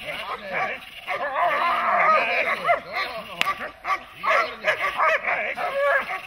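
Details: Protection-trained dog, one of a set of German Shepherd, Malinois and other working dogs, barking in quick bursts while a person shouts over it. Barks come in uneven runs.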